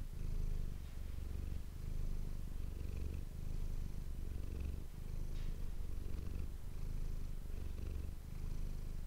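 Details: A purring domestic cat called Manis, captured with an ASMR microphone: deep, buzzing purr rising and falling about every one and a half seconds, regular breathing rhythm throughout, no other sounds.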